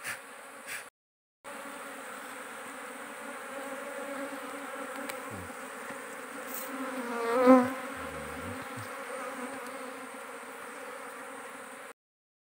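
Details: Wild dorsata forest honey bees around a small nest raided for its honey, humming in a continuous, even drone throughout, with a brief murmur of human voice near the middle and a short cut-out at the start.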